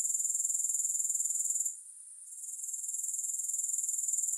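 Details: Very high, shrill grasshopper trilling pulses rapidly, drops away for about half a second, then swells back to its full steady buzz, with nothing else audible.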